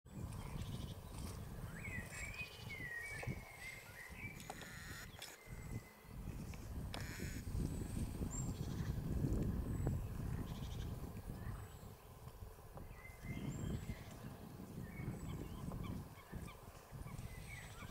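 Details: Green frogs (Pelophylax) at Lake Cerknica (Cerkniško jezero), recorded 15 May 2023: low, rough, pulsed croaking with a louder burst near the middle, over a deep rumbling background, with thin bird whistles and scattered clicks higher up.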